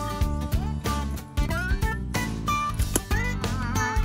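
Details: Music with strummed guitar, steady bass and a singing voice, and no animal sound.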